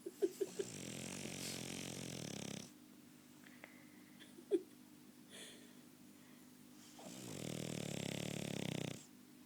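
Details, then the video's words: French Bulldog snoring with small snorts and clicks: a wheezy, rattling snore of over two seconds, a gap with faint sniffs and a sharp snort, then another long raspy snore. "French Bulldog Snoring!"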